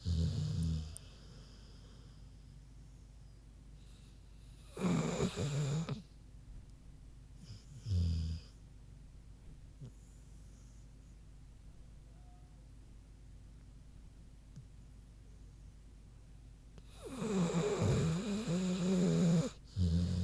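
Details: A big pig asleep, snoring in spaced bouts: loud, breathy, low rumbling snores followed by long quiet stretches of faint breathing, with the clearest snores near the start, middle and end.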